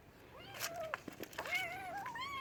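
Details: Talkative house cat gives a drawn-out arching meow, then a longer call that climbs steadily in pitch. Scattered knocks and clatter sound in between.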